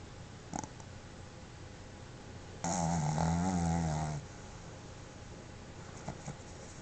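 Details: Pet Boston Terrier named Pepe snoring while asleep with tongue out and eyes open; one long rasping, fluttering snore of about a second and a half, framed by faint clicks in a quiet room.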